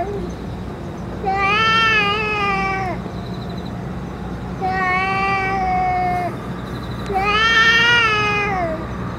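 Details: Boss cat among stray cats, fed food and medicine, gives three long rich meows, each sliding slightly downward at the end, separated by short pauses with low background hum.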